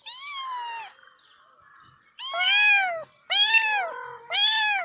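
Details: Domestic cat giving four clear, harmonic meows, each arching slightly then falling, about one per second with short gaps between, on a quiet background.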